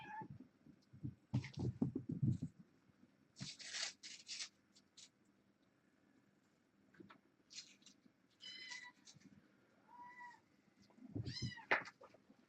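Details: Foster kittens from a litter of six, indoors in the evening of October 31 during webcam work; low rumbling handling noise early, then a few thin rising-falling meows near the end amid clicks.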